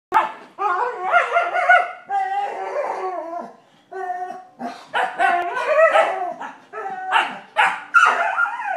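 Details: Vizsla puppies playing, one named Penny learning to bark in a contest with the others: high, yelping barks and yips in quick overlapping bursts, with brief pauses between volleys.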